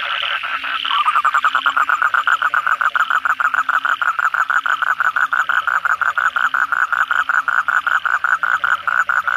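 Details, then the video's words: Asian common toads calling at night after heavy rain, many callers together: a fast train of nasal pulses, about five per second, holding a steady mid pitch with a continuous trilling murmur beneath. "suara kodok bangkong pada gacor setelah hujan lebat malam hari"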